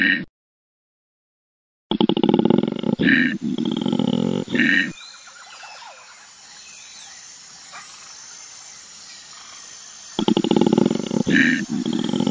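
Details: Koala giving harsh, pulsing snore-like bellows in bursts of about three seconds, broken by a long quiet stretch where faint bird chirps and a steady high hiss remain, before the rasping pulses return.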